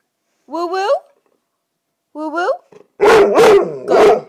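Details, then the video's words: Female red Greater Swiss Mountain Dog vocalizing on command indoors: two rising-falling harmonic woo-woo howls, then a burst of three loud, broad barks; a person says good girl afterwards. "Lucy the red Swissy "Woowoos" on command"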